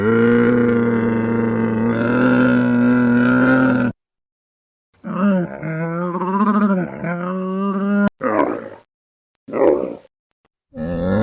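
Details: Camel vocalising: a sustained flat low moan of nearly four seconds, a wavering warbling bellow after a pause, then three brief harsh bursts spaced by silence.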